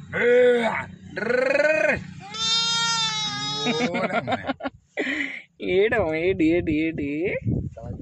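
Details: Lambs born one day earlier, kept with village animals, bleating repeatedly: two quavering calls, then a long strained high bleat, then a cluster of short wavering bleats, with human voices alongside.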